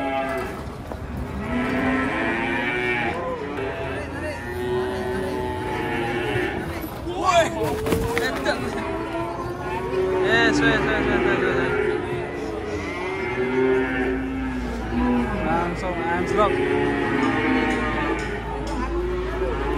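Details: Agitated cattle coming down off a truck. A string of bellowing, wavering moos bends up and down in pitch across the stretch, mixed with people talking, background music and a sharp clatter in the middle.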